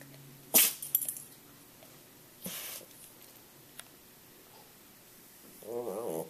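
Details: Dog named Echo sneezing during rain, with one forceful hissing sneeze, a softer puff two seconds later, then near silence before a brief wavering tonal whine near the end.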